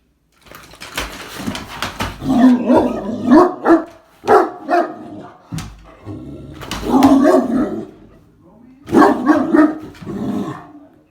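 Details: A Great Dane going crazy over a vacuum cleaner it hates gives deep, drawn-out barks and grumbling howls in uneven bursts.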